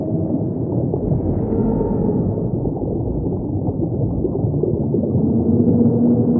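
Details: Humpback whale song: long, low tonal moans and hums drifting beneath a dense, rumbling underwater wash, with a steadier sustained tone rising out of the murk toward the end.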